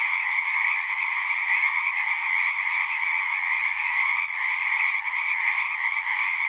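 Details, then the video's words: Frogs calling together in a thick, steady chorus of rapid croaks, a lower and a higher band running without gaps, little else audible. "One hour of singing frogs."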